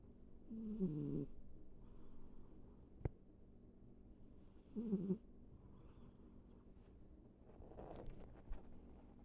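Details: Sleeping house cat Ivy snoring: two rough, low snore breaths about four seconds apart, a sharp tick between them, then a softer rustling breath near the end in a quiet room.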